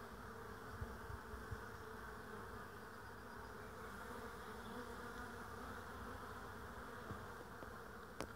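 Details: Bees recorded on 22 April 2016, a steady dense droning hum filling the whole clip with a constant broad band of sound and few other noises.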